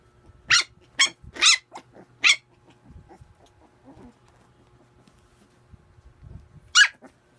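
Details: A playing puppy lets out four quick high yapping barks in the first two seconds, then soft grumbling growls, then one more sharp yip near the end.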